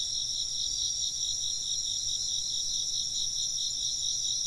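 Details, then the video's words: Many insects trill at once in a continuous high-pitched chorus, pulsing rapidly and evenly without pause, over a soft low background hum. "風鈴の音と虫の声 - wind chimes and chirping insects"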